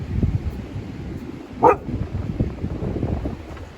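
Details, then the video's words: One short, abrupt bark from Juno, a Siberian Husky rarely heard barking, rises midway above a steady low wind rumble on a cold outdoor day. "Juno Barking?? Since when!"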